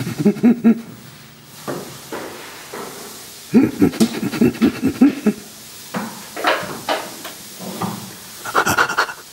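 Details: Burrito, a rescued chimpanzee living at Chimpanzee Sanctuary Northwest, responding to the sound of laughter: rhythmic breathy voiced pants in two quick bursts, then scattered shorter grunting pulses, with human laughter close by.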